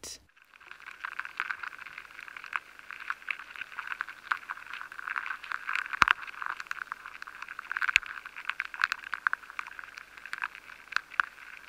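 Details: Weevil larvae feeding inside grains of soft wheat, captured with high-sensitivity equipment to reveal their rhythm of activity: a dense, steady crackle of tiny scratchy clicks with occasional sharper louder ticks, no other sounds.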